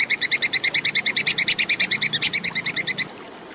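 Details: Plantain squirrel's crisp rapid chatter, recorded as clean tutor audio for contest songbirds: roughly two dozen high, percussive chip notes in three seconds, growing slightly louder, then stopping abruptly into quiet.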